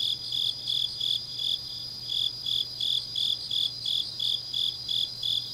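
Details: Autumn-night grass insects in Changnyeong, South Gyeongsang, Korea: high ringing chirps come in slower, swelling pulses of about two per second, layered over a constant shimmering insect trill and a faint low hum.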